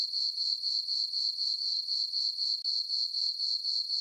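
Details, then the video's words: Night crickets chirping in a summer farm meadow under a full moon: shrill, continuous, with steady rhythmic pulses near four per second and a brief dip midway. "Cricket chirping sounds for sleeping"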